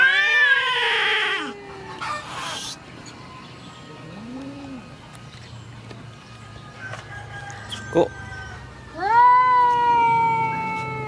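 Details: Female cat angry at the neighbour's male cat: a falling wail at the start, a short low moan mid-clip, then a fresh loud rising yowl near the end, with scattered knocks and hiss-like noise bursts.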